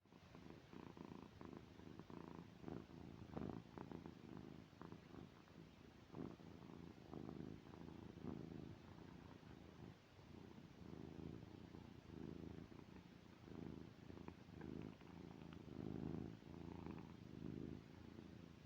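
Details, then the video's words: A sleeping cat named Tom snores with a soft, low, rumbling purr-like sound. Each breath swells and fades in a steady rhythm, about every one and a half seconds, in a quiet room. "TOM SNORING"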